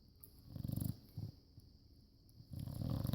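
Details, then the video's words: Rescued bulldog asleep, snoring softly: faint low rattling breaths, two short rumbles then a longer one starting near the end, quiet between them. "Snoring bulldog"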